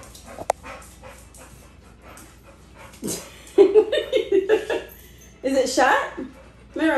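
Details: Siberian husky that let herself and another dog out, wanting to join a bike ride rather than be left behind; a run of wavering, whining vocal sounds in the second half, with a person talking.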